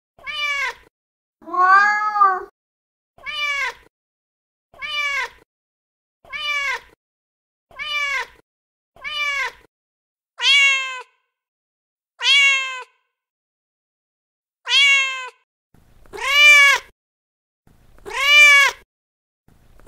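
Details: Meows of a feral mother cat calling to her kittens, roughly one per second at first, then spaced wider and growing louder and longer toward the end, with no other sounds.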